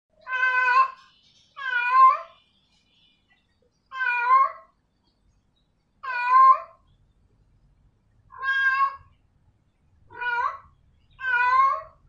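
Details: Female domestic cat calling a male: loud drawn-out meows with rich stacked harmonics, each about half a second to a second long, wavering in pitch, repeated at irregular intervals of one to two seconds; quiet room otherwise.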